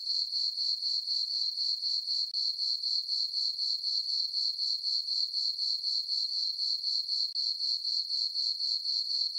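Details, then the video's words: Night crickets in a summer meadow on a farm beneath a full moon give a sustained high tinkling trill, evenly pulsed about four times each second, with no other sounds. "Cricket chirping sounds for sleeping"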